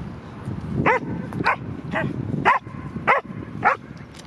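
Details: Excited dog barking at the park after spotting a squirrel: six sharp, harmonic barks in quick succession, roughly one every half second, over a steady low background rumble.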